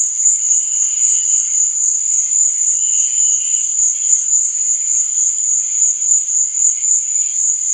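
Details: Nighttime crickets fill the air with a bright, steady trill, throbbing gently in volume, while fainter intermittent chirps flicker beneath it.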